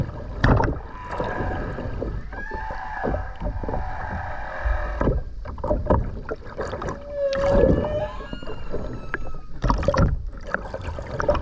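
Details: Humpback whale song underwater off the Ogasawara Islands, Tokyo, Japan, 29 January 2022, skin-diving recording; fainter tonal moans and a short rising whoop amid heavy crackling water noise and bubbles.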